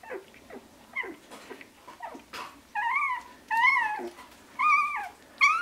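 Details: Shiba Inu puppies of Ichi Hime at sixteen days old, March 2017: short soft yelps, then a run of about five clear, high whimpering cries, each arching up and falling away, with brief pauses between them.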